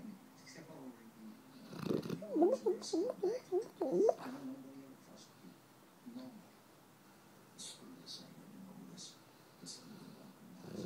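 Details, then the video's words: Dogo puppy asleep, making a run of short, rising, chicken-like clucking squeaks over about two seconds, followed by quiet breathing and faint background speech. "the dogo sleep talks like a chicken"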